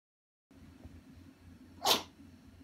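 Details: A dog indoors on a hot carpet, suddenly choking while roughly pestering another animal warming itself there; one sharp, breathy sneeze-like burst near the end, over a faint steady low hum.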